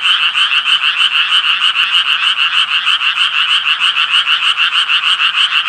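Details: Japanese tree frog croaking: a dense, unbroken run of harsh, nasal pulses, about three per second, steady and loud for the whole stretch with no pauses and no other clear sounds.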